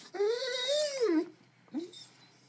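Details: Doberman at home interacting with a parrot, whimpering indoors: one drawn-out whine that rises, wavers and falls over about a second, then a short upward whimper after a pause, in a small room.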